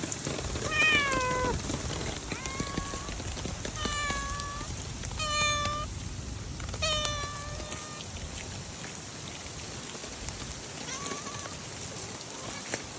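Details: Stray cats on a rainy day meowing repeatedly: a series of drawn-out, slightly falling meows with rich harmonics, several in quick succession, over steady rain patter and dripping.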